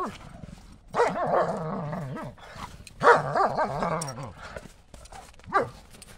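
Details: Two German Shepherds play chase with a ball in the snow on a cold January day. Long, wavering, whiny yowls rise and fall around the first and third seconds, followed by a short, sharp bark near the end.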